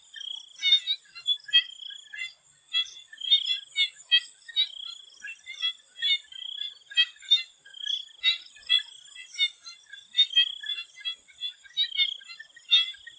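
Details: Several swamp frogs call before sunset in Thailand, giving rapid pulsed croaks and brief trills in quick succession, densely overlapping, backed by an unbroken high-pitched insect drone.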